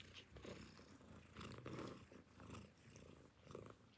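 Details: Nursing newborn kittens with their mother cat, purring contentedly as they drink milk: a low, throbbing rumble pulsing in rhythmic waves about twice a second, close and indoors.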